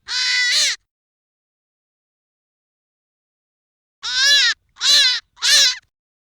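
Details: Hare giving loud, harsh harmonic squeals: one long cry, a three-second pause, then three shorter cries in quick succession, each bending down and back up in pitch. No other sounds.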